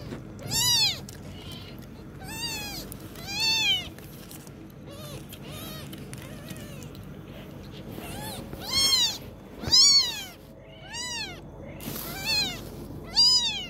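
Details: High-pitched kitten meows while it learns to walk, repeated irregularly every second or two, each one arching up and down, the loudest bursts near the start and end, with faint low rumble underneath.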